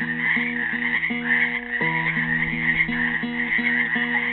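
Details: Steady, pulsing frog chorus from frogs trapped in a pool at Helix, Oregon, on Earth Day 2016, a dense unbroken trill with a classical guitar picking repeated low notes and chords alongside.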